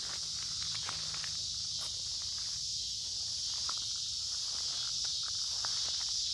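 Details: A walk beside a creek through summer woods, warm and humid, with cicadas singing loudly in a seamless high-pitched hiss; rapid footsteps and leaf rustle tap along beneath the drone.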